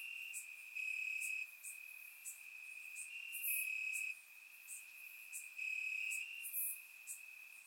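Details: On a warm Bulgarian summer night, crickets in the grass keep up an unbroken high-pitched trill, punctuated by stronger rhythmic bursts lasting about half a second and faint sharper ticks overhead.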